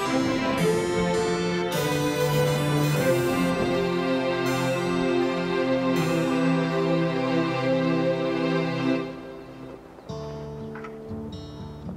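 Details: Gentle keyboard music resembling piano or harpsichord plays throughout, fading briefly before resuming, with no animal sounds.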